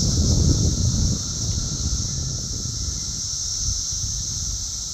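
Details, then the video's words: Loud summer cicada chorus near Chicago, Illinois, June 3, 2024, the insects active and flying about; an unbroken shrill, even drone fills the air over heavy low wind rumble. "Cicada Mania! Very Loud and Active!"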